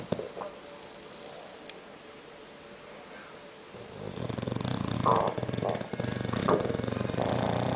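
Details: A bulldog snores in its sleep: near silence with small clicks at first, then a rough, rumbling rattle swells in and keeps going with uneven surges for nearly four seconds.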